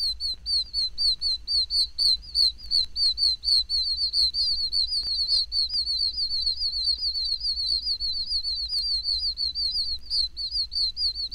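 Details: A breeding chorus of oak toads (Anaxyrus quercicus), tiny Florida toads of pine and oak woods, gives high, whistled chirps that overlap in a rapid, steady stream.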